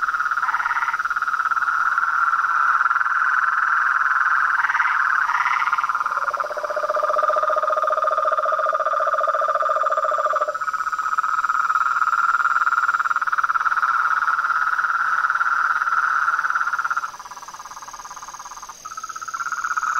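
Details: Dense frog and toad chorus with overlapping trills; a lower pulsed trill rises in the middle, and the volume drops briefly near the end before the chorus returns.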